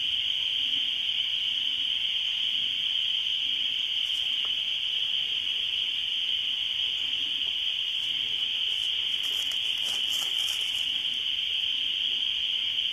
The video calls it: Spring Peepers